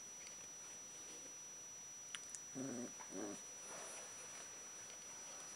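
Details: Alaskan Malamute puppies from one litter: two short, wavering whining notes in quick succession near the middle, preceded by a couple of soft clicks, over a steady background hiss.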